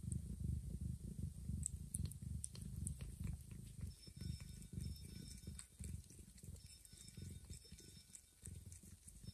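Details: Low continuous purring from a domestic mother cat caring for two newborn kittens and carrying one to a hidden place; dense rumbling pulses with faint high clicks and a thin whine above.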